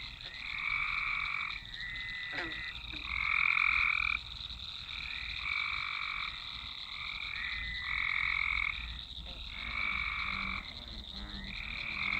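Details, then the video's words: Dense swamp chorus of frogs on a Nokia Lumia 1020 recording, repeated trilled bursts about one to two seconds long in staggered overlapping rows, plus a few short low croaks late on. "Swamp ambience (frogs, frogs, frogs)"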